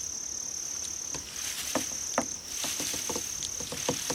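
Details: Crickets in a soundscape meant to attract cats: a constant shrill high trill runs throughout, joined by irregular sharp clicks and taps that cluster more densely toward the end.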